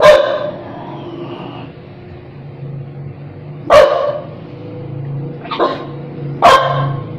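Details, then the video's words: Dog barking in sharp, loud single barks, one at the start and others near four and six and a half seconds, with a softer bark between and a steady low hum underneath. "Dog Barking with Face"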